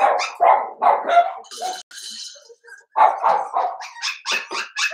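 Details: Blenheim Cavalier King Charles Spaniel puppies in a home puppy pen, one of a litter of five. They let out rough, mid-pitched barks with a growly edge. A brief hissing noise is heard, then higher yaps.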